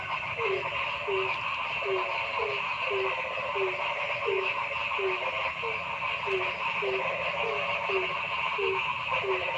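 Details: Forest frogs in a noisy chorus: brief low notes that drop slightly in pitch repeat in a steady series, some closely paired, about sixteen in ten seconds, over a thick, continuous, higher humming background of many callers.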